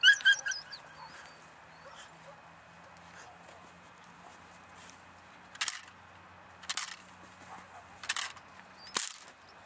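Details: A three-month-old female German Shepherd from German working lines gives a quick, thin, high whimper, then after a pause four short, harsh barks about a second apart.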